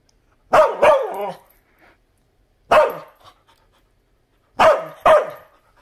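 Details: Bumba, a dog, barks in three separate bursts: a double bark, a single bark, then another double bark. The barks are sharp and mid-pitched, with near silence between them.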